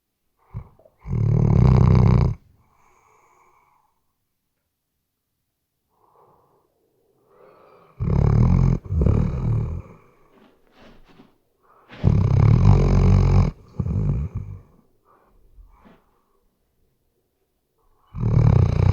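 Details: Heavy snoring from a sleeping Weimaraner, recorded with a RODE NTG3B microphone: four long, low, grating snores spaced four to six seconds apart, separated by near silence and faint snuffles.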